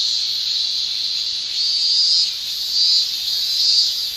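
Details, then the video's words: Japanese summer cicada chorus, males singing with their tymbals: an unbroken high-pitched shrill drone, rising in loudness in gentle waves roughly each second. "Japan Summer Cicada Shrilling"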